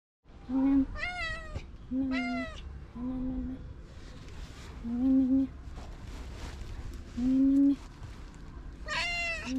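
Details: Stray domestic cats and a kitten during a daily street feeding, giving repeated meows: short level, steady tones alternating with higher, bending, wavering cries, about one call every second or two, over a low background rumble.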